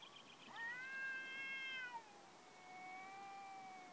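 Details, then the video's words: Domestic cat, one of the 'talking cats', giving two drawn-out meows: the first steady and bright with rich harmonics, the second lower, long and gently rising then falling; quiet background. "Talking cats"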